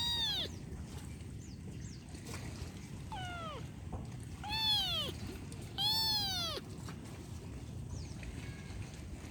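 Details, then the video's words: Kitten meowing repeatedly: high, clear mews that arch up then slide down, some short and some drawn out with a strained edge, about eight calls over steady low background rumble outdoors. "Kitten sound effect"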